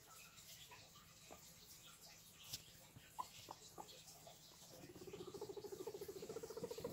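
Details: Guinea pigs: a few faint scattered squeaks and taps, then from about five seconds a low, rapid, pulsing rumble of evenly spaced vibrating beats that builds steadily until the end, over a steady low background hum.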